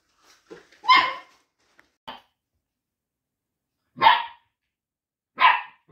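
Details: Young Labrador Retriever mix puppies, mixed breed retrievers aged between day one and nine weeks, letting out a few sharp high yips and short barks separated by silent gaps, with one faint squeak between them.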